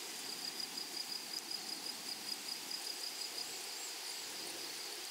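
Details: Meadow grasshoppers on a flowery prairie produce a high, even trill, with sharper pulses ticking regularly about three times per second for the first few seconds, then a smooth steady hiss.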